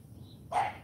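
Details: Morning training of CHARME, a female AKC champion Cane Corso puppy, taught to bark: a single abrupt bark arriving after half a second of near silence.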